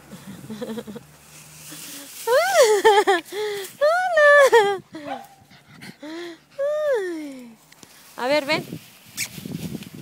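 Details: Cavalier King Charles Spaniel eager to play fetch, giving a rapid run of high, arched whines and yelps in bursts, some rising and some falling, with a little human speech at the start.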